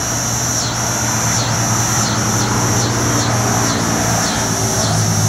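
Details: A cicada in North Carolina, one of Neotibicen winnemanna, N. robinsonianus or N. auletes, drones in a steady, high buzz that swells and dips in regular pulses; annual cicada.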